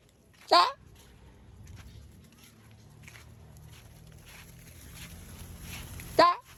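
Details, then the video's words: Otter chirping twice, about five and a half seconds apart; each call is a sharp, harmonic squeak with a falling tail, separated by low background hiss. "Do Otters Make A Chirping Sound?"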